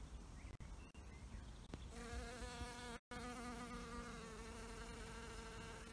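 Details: Bee at an insect hotel: after a quiet start, a steady low droning buzz with a clear stack of harmonics sets in and holds to the end, broken only by a brief dropout near the middle.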